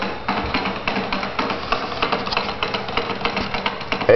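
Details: Percussive music with rapid wood-block and drum beats throughout, with no animal voice.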